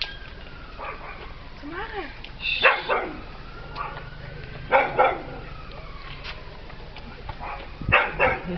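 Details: Peppie the pet dog, scared of a little cat, barks in short bursts of two or three amid a person talking.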